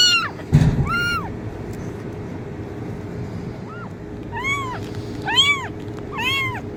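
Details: Kitten meowing, offered as a sound to attract cats: clear arched meows, each rising then falling, a pair at the start and three more in the second half, over a steady low hum with a thump early on.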